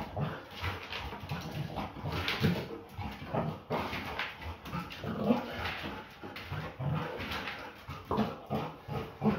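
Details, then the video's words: Belgian Malinois female in a play fight, making mixed low growls and short whimpering yips that rise and fall irregularly, with rustling and scuffling throughout. "Malinois never backs down from a (play)fight!"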